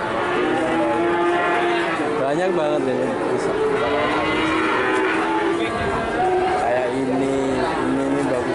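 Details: Crowded herd of cattle for sale, a dense wash of overlapping moos, short grunting lows and longer wavering bellows, with a busy background hum.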